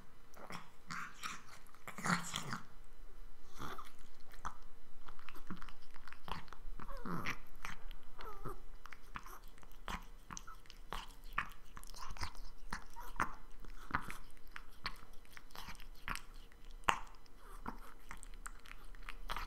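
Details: Retired best-in-show pedigreed Exotic Shorthair Persian cat Dante, enjoying a meal recorded up close for ASMR: dense, rapid crunching and biting snaps run continuously, with louder crunches near the start and a faint constant hum.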